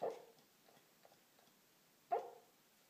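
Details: Sleeping Corgi, mid-dream, makes a trailing soft woof at the start, then a pause with faint small noises, then one more muffled, breathy bark.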